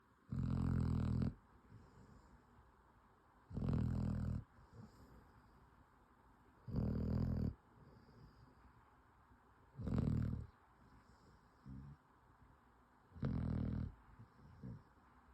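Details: A worn-out bloodhound puppy snores in deep, rumbling breaths about every three seconds.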